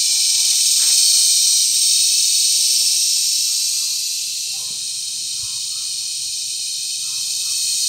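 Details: Cicadas calling loudly as they mate, filmed close by on July 18, 2020 at Sitio Bagumbayan, Brgy. Balabag, La Carlota City, Negros Occidental. A relentless high-pitched rasping whine dips a little in volume, then climbs again, with a few soft clicks underneath.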